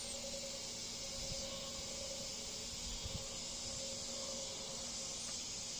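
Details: Cicadas on every tree in a Bolivar, Missouri backyard, around 8:30 pm on Wednesday 16 August 2023, a cool evening in the 70s, sing non-stop, taking turns, in a steady, high, hissing drone.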